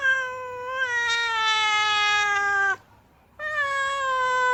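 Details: Long sustained wail from an unhappy female cat stamping its feet: one steady, slightly falling drawn-out yowl of nearly three seconds, a short pause, then another steady howl begins.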